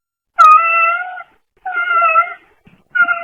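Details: A pet camera indoors picks up a domestic brown tabby (kijitora) rescue cat giving three drawn-out, fairly level meows. Each is under a second long, with a clear tonal voice and short silent gaps between them.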